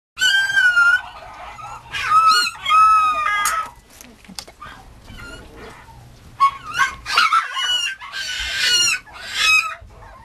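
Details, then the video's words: Mame Shiba Inu puppy giving high, harmonic-rich whines and yelps in short bursts, some sliding up and down, with quiet gaps between calls. "豆柴 子犬"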